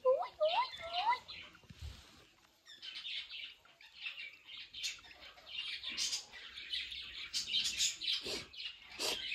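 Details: Baby guinea pig calling its mother: a short series of clear, rising whistled squeaks with bright overtones in the first two seconds, followed by softer scattered chirps over rustling and handling noise.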